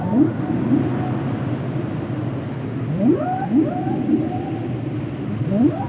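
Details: Whale calls: short rising upsweeps, some low and some climbing higher, repeated roughly every half second to second against a constant deep underwater rumble.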